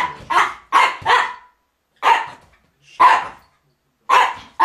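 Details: Barks from Jip, a Miniature Pinscher, as he drives Viva off the rug, December 2009. Quick pairs of harsh barks alternate with single ones, clear and close, with short quiet gaps.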